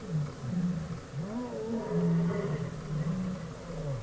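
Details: African lion roaring in Kruger National Park, South Africa, on a road where a rare white lion has walked in among the pride; deep, moaning low groans rise and fall in long drawn swells, repeated back to back with little pause.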